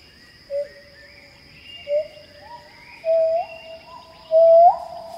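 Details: Pileated gibbon singing in Khao Yai National Park, Thailand: a rising series of clear hooting notes, each louder and longer than the last, sliding upward at their ends, with fainter echoing notes and a steady high insect drone behind.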